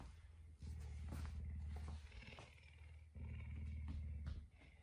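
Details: Messi, a puma kept as a pet in a home, greeting the household in the early morning after waking everyone at about 5 a.m.; a deep, steady rumbling purr in two long bursts, the second after a short break, over quiet room sounds.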